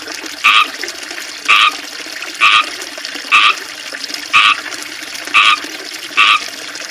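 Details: Frogs in a small backyard fishpond with a water fountain, surrounded by ivy, chirp loudly: seven short, even calls about once a second above the fountain's steady trickle.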